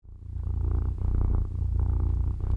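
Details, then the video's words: Domestic cat purring in the morning while wanting to snuggle; a loud, deep, continuous rumbling purr with rapid regular pulses, swelling slightly in strength, with a soft voice nearby. "My Cat Purring!"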